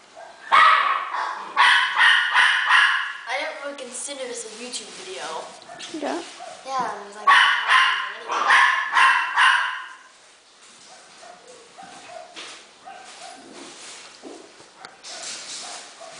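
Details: Havanese puppies at play, giving bursts of sharp high yapping barks in quick runs, about two per second, with a quieter stretch of soft whines and people talking in the background.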